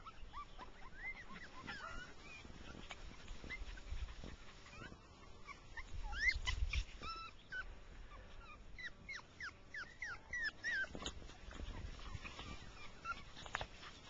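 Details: Six-week-old rough coat Jack Russell Terrier puppies with their mother, running in grass; a quick series of thin, high yips and squeaks, with a woman speaking and low rustling.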